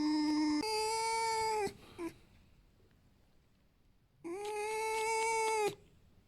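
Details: Alf, a tame fox, squeaks for attention, wanting to be hugged and petted rather than in pain, looking happy. Two long, steady, tonal whining squeals, the second longer, with a brief faint squeak between them.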